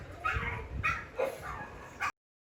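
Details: Pet pug barking fiercely at dogs shown on television, treating them as intruders in its territory; three or four short, sharp yapping barks in quick succession over two seconds, then silence.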